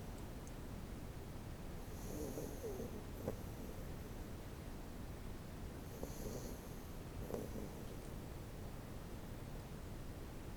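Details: A pet Miniature Schnauzer named Cookie sleeps deeply by a computer, snoring loudly: low, rough breathing swells in slow cycles, a couple of soft snorts, over a steady indoor background hum.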